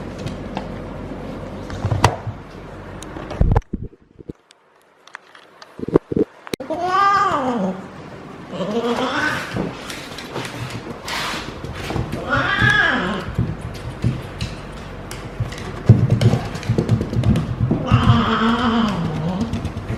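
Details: Feral female cat in her first heat cycle, rolling and caterwauling as she is petted at the base of the tail: repeated long, wavering, moaning yowls rising and falling in pitch, with rustling, handling noise and brief clatter.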